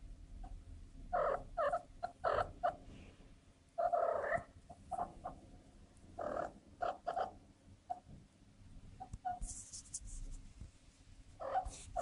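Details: Young female cat in heat, giving short wavering mid-pitched cries in irregular clusters, some doubled or tripled, separated by brief pauses; a burst of high hissing noise near the end.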